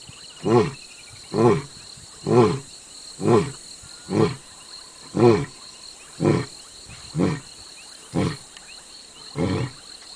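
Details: Close to a safari jeep in South Africa, a lion ends its roaring bout with eleven short, clipped grunts at roughly one-second intervals, gradually spacing out, over a faint constant background hiss.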